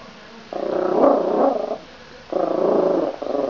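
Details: Domestic cat demanding its toy back: two drawn-out, harmonic, moaning growl-like calls, each over a second long, separated by a brief pause, with the second call ending in a short extra note.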